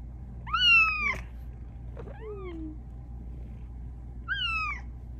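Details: A female Bengal cat gives three insistent, slightly falling meows at night, asking for attention and pets rather than food.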